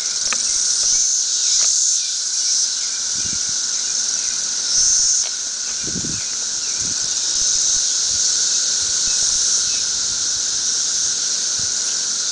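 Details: Masses of periodical cicadas, emerging only every thirteen years, crowd a tree and keep up a shrill, continuous buzzing hiss with slight surges in loudness, plus a few soft low thumps.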